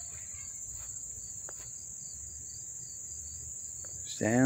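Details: Crickets chirping up close in Dobbs Ferry, New York, on August 1, 2014: a steady, very high-pitched continuous trill with a fainter pulsed chirping beneath, low background rumble, and a man's voice starting at the very end.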